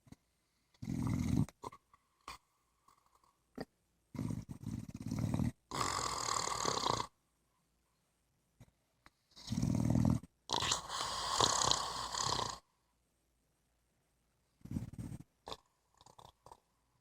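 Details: A female English Bulldog lying comfortably on her back in bed snores in loud, rasping bursts, each breath a rough, throaty rumble.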